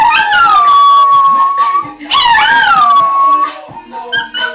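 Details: Two pet dogs, a Chihuahua and a Dachshund, howl in reaction to the song Apple Bottom Jeans: a long, sustained, slightly falling howl, then a second sharper rising-and-falling howl, with music underneath.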